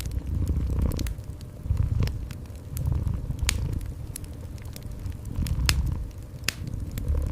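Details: Cat purring beside a cozy indoor fireplace, a deep rumbling purr swelling and fading in pulses roughly every second, overlaid by sharp crackles and pops from the fire.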